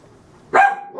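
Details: A corgi puppy, upset at toilet paper on the floor, gives a single sharp, loud bark with a brief tonal tail after a quiet start; he had been barking at it for about five minutes.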